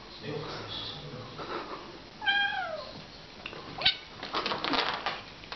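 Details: Kittens play fighting, filmed July 2015: one short, downward-sliding meow with bright stacked overtones rings out mid-clip, surrounded by softer rustles, scuffling thumps and low background murmur.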